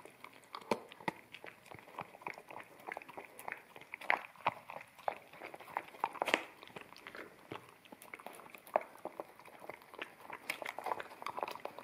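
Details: Wet kibble eaten by an American Akita puppy from a bamboo plate in a small room, ZS100 camera stereo recording; dense crisp bites and crunches, some loud snaps standing out over continuous chewing.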